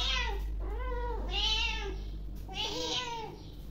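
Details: Several domestic cats meow repeatedly in drawn-out, rising and falling cries, begging as they are called to eat home-cooked boiled silver carp, a fish they love.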